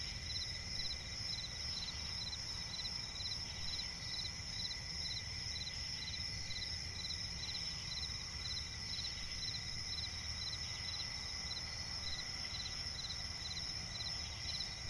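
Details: Crickets calling in a night forest by a swamp, an unbroken high-pitched chorus of short pulsed chirps repeated about twice a second, with constant low-frequency background hum.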